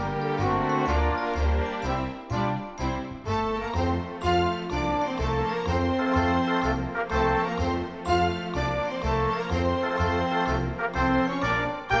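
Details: Festive music with jingling bells, steady bass beats and layered instruments fills the whole stretch, with no animal calls.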